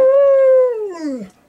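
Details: Golden retriever, one of three aged 11 to 13, howling excitedly for dinner at home: a single clear, steady howl held for under a second, then sliding downward and fading.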